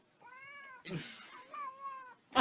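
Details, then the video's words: Kitten calling with two drawn-out, steady meows, the first flat and the second dipping slightly at the end, separated by a noisy clatter, with a sharp knock at the close. "kitten meowing call"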